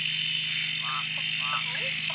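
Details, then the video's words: Frogs calling at a dam near Drake after several days of steady rain, scattered short rising croaks over a dense continuous high-pitched chorus with a constant low hum underneath. "Frog chorus after the rain"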